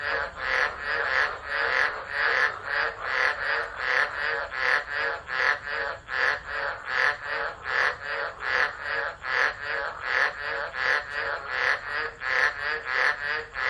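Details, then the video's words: Tropical frogs chorusing during a tropical storm at Driver, Northern Territory, Australia, in December: dense, rhythmic rasping pulses repeated steadily, over a hundred in under fourteen seconds, many callers overlapping into a continuous churning wall of sound. "Tropical Storm Frogs Singing"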